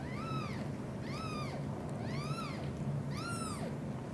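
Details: British shorthair cats, with mother cat Xaxa devotedly caring for three kittens: four clear, high, arching meows with rich overtones, each rising then falling, repeated roughly once a second over a steady low indoor hum.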